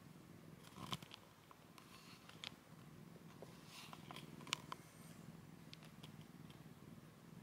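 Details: Domestic cats indoors, the rescued kitten Komugi from eastern Saitama, Japan, and an older 'spacecat', curled up together for their first shared nap; a steady low rumbling purr runs throughout, broken by a few soft clicks and rustles.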